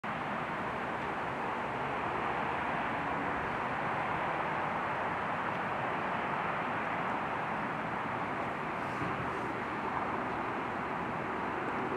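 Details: Steady, loud, broadband rushing noise, like traffic, runs throughout with no animal voice.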